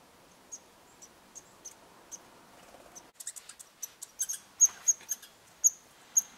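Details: In Eastern Canada, red squirrels interacting at a bird hide: soft scattered high squeaks, then a sudden burst of scuffling clicks followed by louder, sharper squeaks.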